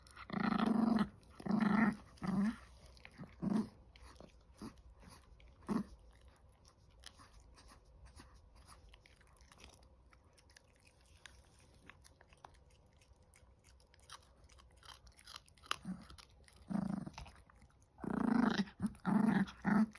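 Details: A 19-week-old Chihuahua puppy chewing, with short, low, throaty growling bursts at the start and again near the end, separated by a long stretch of quiet crunching and gnawing indoors.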